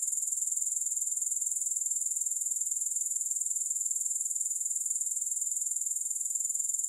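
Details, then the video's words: Grasshoppers calling, no music: an intense, thin, high-frequency buzz made of fast, regular pulses, holding a constant level for the whole stretch. "3 Hours of Grass Hopper Sounds"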